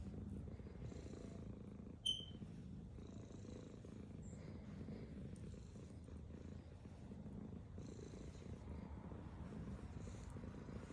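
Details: A female black domestic cat purrs steadily while eating food, a low continuous rumble with a fine vibrating pulse.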